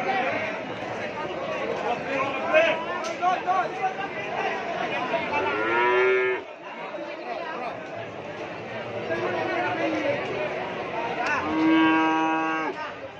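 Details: Madrasin cattle, a Madura crossbreed, lowing twice: a drawn-out harmonic moo around the middle, then a longer, stronger one near the end, both over steady crowd chatter and human voices.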